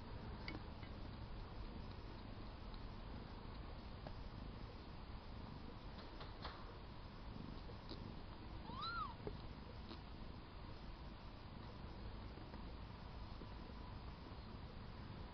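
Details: Week-old kittens, a litter of four born to a fluffy cat: one short, thin mew rises and falls once near the middle, set against a steady low purring rumble and constant background hiss.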